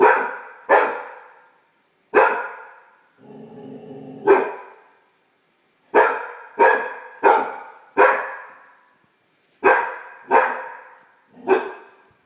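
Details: Young female Great Dane, a household pet, barking at her reflection: rapid irregular barks, roughly ninety a minute, broken by a low growling whine between bursts.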